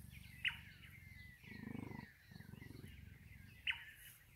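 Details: Captive cheetah purring at Feracare Wildlife Centre in Bela Bela, South Africa; a steady, low, finely pulsed rumble runs throughout and swells for half a second near the middle, while birds chirp faintly in the background.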